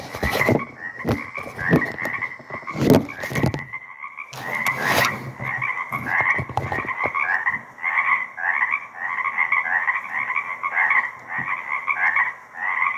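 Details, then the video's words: Frog chorus at Deer Lake on 4/2/24 from a small surviving swamp wetland, taken with a shotgun microphone. The opening seconds carry loud knocks and thumps of handling, then many overlapping buzzy pulsed trills rise and fall in steady waves. "Deer Lake Frog Chorus - 4/2/24"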